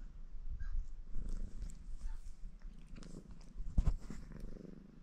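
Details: Baron, a ginger Maine Coon tomcat, purring in a contented mood while washing himself indoors; a steady low rumbling purr runs throughout, broken by soft licking and rustling clicks, with a sharper tap near the end.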